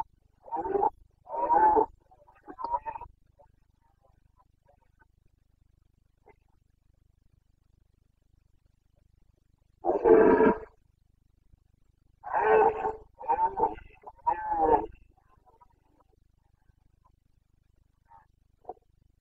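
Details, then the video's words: Boncănit, the breeding-season roaring of a Carpathian red deer stag in the Bucovina mountains, 29.09.2022: bouts of short, throaty, harmonic roars, three in a first series, then a deep bellow and a string of three to four rapid grunting roars. "Boncănit / Carpathian stag Breeding season 29.09.2022"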